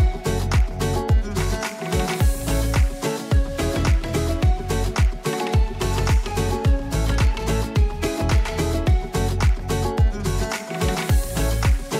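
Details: Upbeat percussive dance music with a heavy bass beat fills the whole stretch, and no animal calls can be picked out.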